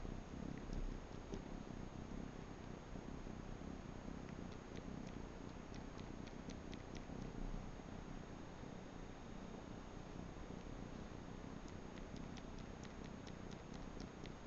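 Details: Purring Manx kitten, indoors, suckling on a bathrug; continuous low rumble with brief light ticking sounds scattered through the middle and end.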